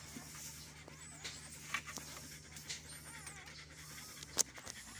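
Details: Belgian Malinois giving birth: soft, breathy panting in quick uneven bursts, with a few sharp clicks, while faint high whistled chirps thread through the background.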